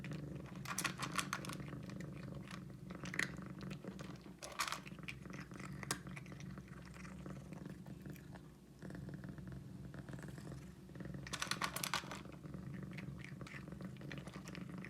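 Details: Pet cat being fed indoors before bedtime, a steady low rumbling purr running under loud crunchy chewing bursts, with a short pause in the purring midway through.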